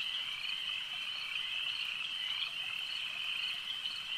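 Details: Massed frogs at a lake produce an unbroken, shrill, ringing chorus with gentle wavering pulses throughout this short stretch.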